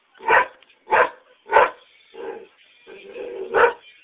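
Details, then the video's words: Pet greyhound on a back porch barking while greyhound videos play nearby: a run of short, rough barks spaced about half a second apart, then lower, drawn-out softer sounds and one more sharp bark. "Greyhound freaking out"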